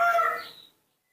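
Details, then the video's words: Newborn baby monkey, raised by hand, calling to ask for milk: one short, loud, tonal squeal with stacked harmonics, held steady for about half a second and then fading out quickly. No other sounds. "makes a unique sound, cute and beautiful, that's how newborn monkeys ask for milk"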